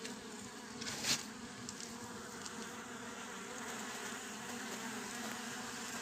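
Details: A honey bee swarm housed 11 days earlier in a frameless, foundationless Japanese hive gives a steady, dense hum with harmonic bands of buzzing layered throughout, on 10 June 2024.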